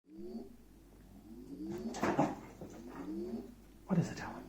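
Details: Irish beagle reacting with dislike to the noise of an electric bike's firmware update: drawn-out rising whining howls repeated several times, mixed with a louder burst and a steady background tone indoors.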